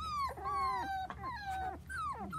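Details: Four-week-old Dachshund puppies at play on a trampoline with children give drawn-out high whines that slide gently downward, three or four in quick succession, with lower whimpers overlapping and faint background hum.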